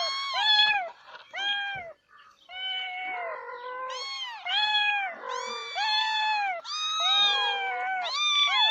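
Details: Domestic cats calling: a dense string of high, bright meows with strong harmonics, some long and wavering, others short and overlapping, almost continuous throughout.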